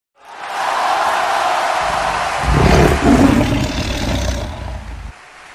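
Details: A tiger in Chitwan gives a deep, rumbling roar over a steady background hiss.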